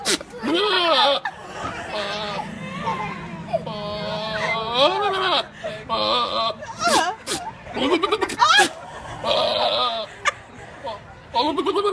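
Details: A goat gives loud, wavering, human-sounding bleats, with people talking and laughing nearby.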